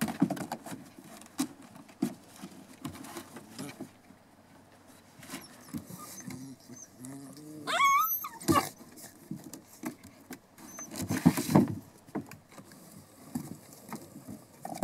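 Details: Litter of Border Collie puppies, 7½ weeks old, raised by their owners; one brief high rising-and-falling whine with a bright, ringing tone near the middle, set among scattered knocks, rustling and shuffling clatter.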